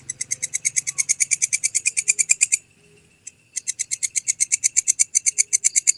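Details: Walang kecek grasshopper, a clear recording meant as master sound for songbirds, gives a fast train of dry, high, rasping pulses, pauses about a second, then resumes the same steady ticking rhythm.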